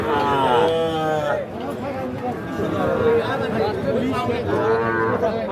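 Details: Calves mooing at Ambari cattle market, Dinajpur district, Bangladesh, recorded 29 December 2023: a short harmonic moo at the start and another near the end, with people chattering between them.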